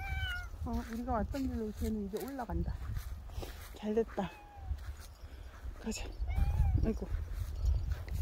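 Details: A dog-like pet cat gives a run of short, wavering meows early on, some rising and falling, mixed with a person talking nearby.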